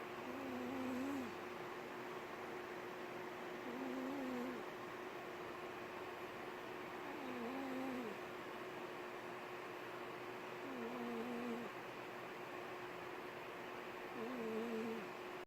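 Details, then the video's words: A cat snoring in a humanlike way: five drawn-out, droning snores, each with a faintly wavering tone, arriving roughly every three seconds over a steady indoor hum. "Cat snoring like human"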